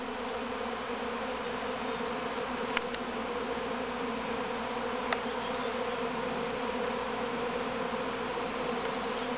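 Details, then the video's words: Honey bees, hundreds of thousands, swarming from the mother hive at Grass Lake Sanctuary, Manchester, Michigan, on May 13, 2012: a dense, continuous, steady buzzing drone with no pauses, two faint clicks. "Honey Bee Swarm"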